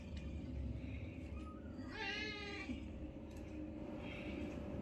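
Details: Newborn kitten, one of five, playing with its mother for the first time at home; a single harmonic meow rising then falling, about half a second long, over a steady electrical hum and low background rumble.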